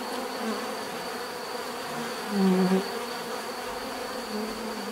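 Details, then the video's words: Steady droning of many bees, with one louder, lower buzz passing close by halfway through before fading back into the even hum of the swarm. "bees therapy relaxing natural buzzing sound"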